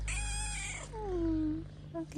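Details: Pampered stray kitten in Morocco meowing: a long high wavering meow, then a lower drawn-out falling meow and a short chirp, over steady low hum.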